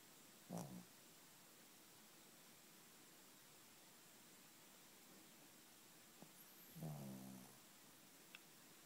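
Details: Female pet dog asleep on a bed at night, worn out after an afternoon bath, snoring: two low, rough, buzzy snores about six seconds apart, with a quiet indoor hush between them.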